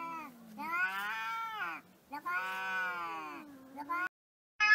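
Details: Domestic cat 'talking': two long, wavering meows with rich harmonics, each stretched over more than a second, rising then sagging in pitch, followed by a short sharp call at the end.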